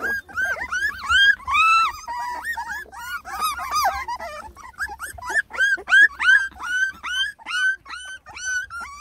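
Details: Beagle puppies from a litter of ten, three and a half weeks old, complain at their first taste of food, giving rapid repeated rising-falling whimpers about three per second, overlapping in a steady fussy chorus.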